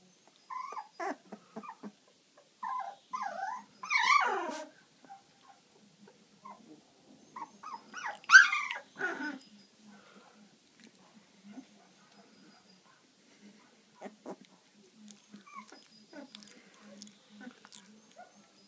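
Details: Sleepy Labrador retriever puppy yawning: short, squeaky, wavering whines rise and fall, with two louder drawn-out squeals near four and eight seconds, then quiet soft snuffles and faint rustling.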